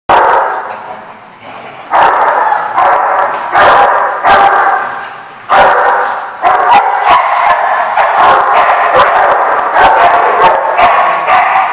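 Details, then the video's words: Dogs bark nonstop in a loud, dense run on 4/10/15: overlapping harsh barks packed close together, with sharp louder bursts near two, four, five and a half and six and a half seconds. "The Barking Lot"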